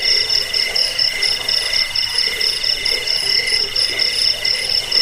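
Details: High ringing cricket chirps, played to chase off rats, bring sleep and train songbirds; a dense, continuous whine pulses rapidly and unevenly over five seconds.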